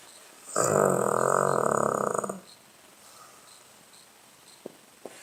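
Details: Blenheim Cavalier King Charles Spaniel named Charlie asleep and snoring, recorded 21 November 2016: a single harsh, vibrating snore of about two seconds, followed by quiet breathing and two soft ticks.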